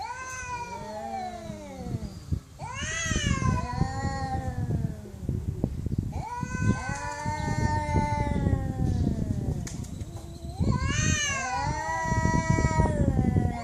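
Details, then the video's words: Cats meowing loudly: a series of long, harmonic meows, some rising and then falling, repeated every few seconds over a steady low rumble of background noise. "Cats Meowing Loudly"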